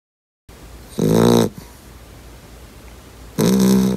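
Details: Two-month-old yellow Labrador Retriever puppy sleeping hard indoors, snoring loudly; two harsh rasping snores, each about half a second long and roughly 2.5 seconds apart, with a quiet room between them.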